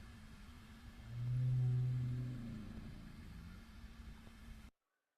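A fin whale's call comes through as a deep, droning rumble that rises in loudness, holds briefly, then slowly fades. Such low sounds matter to fin whales for attracting mates, and a steady background hum runs underneath.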